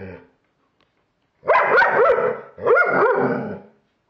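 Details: A German Shepherd confronting a Halloween pumpkin gives two long, drawn-out, rough barks with a growling, howl-like edge, following a brief quiet gap.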